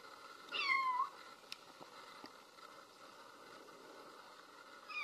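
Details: Baby kitten meowing while looking for its mother: one short, high, wavering mew that rises then drops, followed by quiet with faint clicks, and the start of another mew at the very end.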